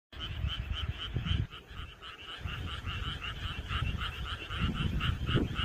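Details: A dense frog chorus on a summer night, with rapid, pulsing croaks overlapping steadily over a low background rumble.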